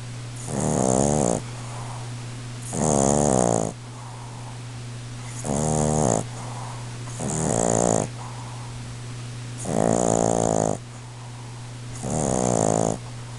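A Boston Terrier snores in loud, rasping bursts about every two seconds.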